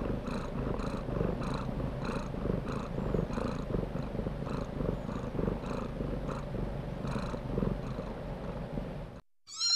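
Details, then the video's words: Kittens purring in a steady, low, continuous rumble, with faint brighter pulses about every half second, running evenly until an abrupt cut near the end. "sounds of kittens"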